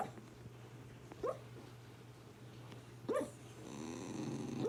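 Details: A dog making soft whimpering dream sounds while asleep: two brief rising whines near one and three seconds over a steady low hum, with rustling toward the end.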